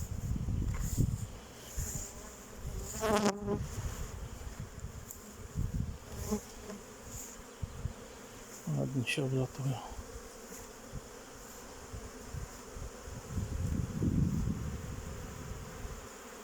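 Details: Honey bees at a keeper's hives on 8 May 2023, with honey stores in mind during cold weather: a low, steady swarming hum broken by short bursts of a man talking and scattered knocks.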